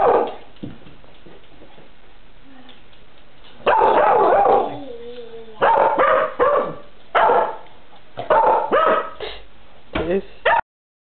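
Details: Pet cocker spaniel Diesel, eager for cats, barks in a small room while looking for the cat: about six bursts of sharp, harsh barks spread over ten seconds, some doubled, between quieter pauses with a faint human voice.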